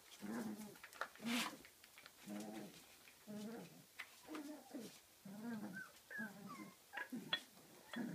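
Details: Playful 34-day-old Kooikerhondje pups in an indoor activity room at a kennel in Sweden give a run of about eight whiny, harmonic whimpers and grumbles, roughly one per second, a few higher squeaks near the end.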